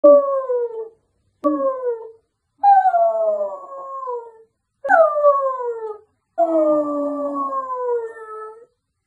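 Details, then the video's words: Samoyed dog howling: five drawn-out, falling howls with clear harmonics, each lasting about one to two seconds and separated by short silences, the later howls longer and wavering. "Samoyed howling"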